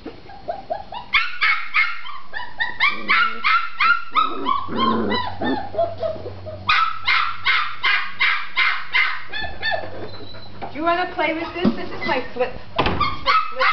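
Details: A red tri-colored female Australian Shepherd puppy in an enclosure yaps persistently to be let out, with bursts of shrill, harmonic barks nearly three per second, brief pauses, and a person's voice talking to her in between.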